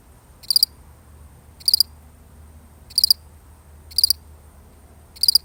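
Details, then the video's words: A solitary cricket chirps five times, each call a quick buzzy cluster of high pulses, spaced about a second apart and fairly steady, while a faint low hum runs underneath. "The sound of one lonely cricket"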